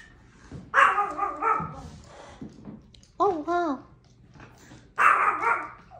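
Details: Pet Chihuahua called Lucky barks three times, each a rich, harmonic bark, the middle one shorter, with a person speaking alongside the barking.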